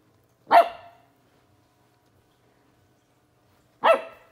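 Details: Twelve-week-old Corgi puppy barking at a bug: two short, sharp yaps about three seconds apart, each a bright burst with a quick fading tail, in a quiet room.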